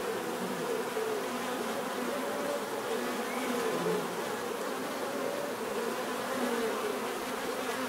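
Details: Bees humming together in a constant drone, with brief higher whines of single insects flying past over the dense background buzz.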